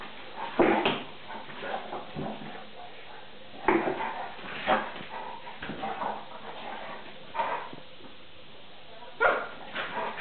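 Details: Two dogs at play, Tarka the 3½-month-old Vizsla puppy and NooNoo the pointer, trade gruff growls and sharp yips in scattered bursts, with quieter scuffling between, sounding like fighting but only playing.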